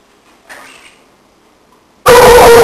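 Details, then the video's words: An 8-month-old female pit bull barks at new birds in the household: one loud, harsh, deep bark after two seconds of near quiet, preceded by a faint brief rustle. "Pittbull Barking at birds"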